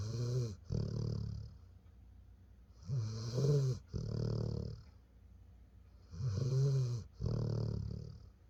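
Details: Honeybee the dog, relaxed and asleep, gives three full snore cycles, each a two-part grinding inhale and rumbling exhale, repeated about every three seconds in a quiet indoor room.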